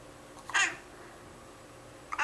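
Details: Fifteen-year-old male cat singing along with his owner's Twinkle Twinkle Little Star, September 10th 2011: two brief, strident meows about a second and a half apart, separated by near silence.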